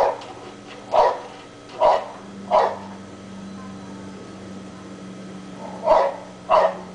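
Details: Dog left outside all day with nobody home, barking at holes in the ground; three sharp barks about a second apart, a three-second pause, then two more, over a constant low hum.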